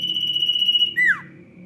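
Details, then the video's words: Lively sirtu song: a high, continuous buzzing trill that ends in a loud, brief squeak sweeping sharply downward, followed by a faint lingering high tone and low background hum. "SIRTU GACOR ROCK N ROLL"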